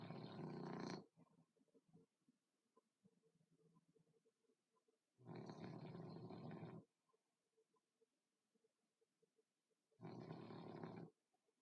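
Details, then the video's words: Sleeping dog whose flat, smashed face makes him snore a lot: three loud, harsh, rumbling snores, each about a second or more, spaced roughly four to five seconds apart, with quiet breathing and a faint steady hum between. "My dog snoring"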